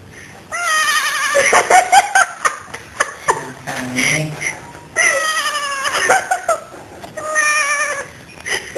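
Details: Pet cat kept in a dorm, yodeling: long wavering, harmonic-rich yowls that bend up and down in pitch, delivered in drawn-out bursts with short gaps, over faint room noise.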